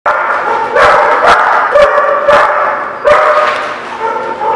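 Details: Dogs at a place called a barking lot, dated 12/04/17, barking together in a dense, unbroken chorus of overlapping barks and yips, with louder individual barks rising above the din roughly every second or two.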